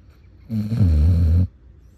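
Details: Sleeping basset hound giving one loud, deep snore about a second long, a rough vibrating rumble with a slight wavering pitch, then quiet.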